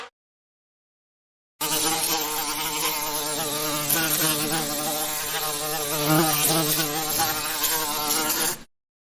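A bee's steady, low droning buzz that wavers slightly in pitch for several seconds.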